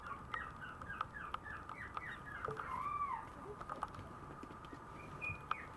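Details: Maltese puppy, a female born 7 November, making quick squeaky whimpers, then one longer arched whine in the middle, against a quiet steady hum.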